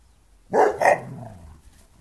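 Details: Two Bernese Mountain Dogs play fighting in a garden as a Flat Coated Retriever puppy looks on; two sharp, loud barks in quick succession, a fading low growl trailing after, then quiet.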